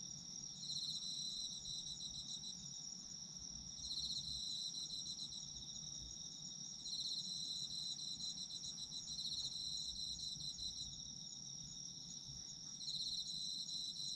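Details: Autumn insect chorus with a constant piercing high note and a second insect's pulsed, chirping trill arriving in regular bursts about every three seconds, separated by quieter stretches.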